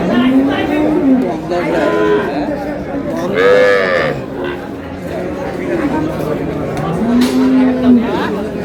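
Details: Cows with calves at Ambari haat, a cattle market in Dinajpur, March 6, 2026. Three separate moos, each drawn out about a second with a rising then falling pitch, over voices and bustle of the market crowd.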